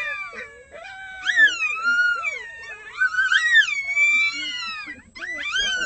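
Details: Six red wolf pups just short of one month old raise an early morning ruckus at the Wolf Conservation Center, joining the adults' howling; overlapping high, wavering yips and howls rise and fall in a continuous tangled chorus, with brief pauses.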